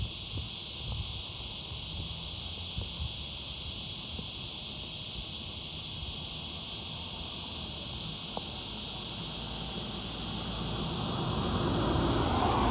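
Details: Cicada, the summer zeet zeet insect, producing an unbroken shrill buzzing drone at constant pitch. Low rumbling noise swells toward the end.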